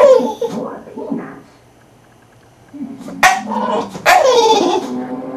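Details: Elvis the English bulldog making funny noises: short grumbling sounds at first, a quiet pause, then two loud, strained whining moans that fall in pitch, followed by a low hum.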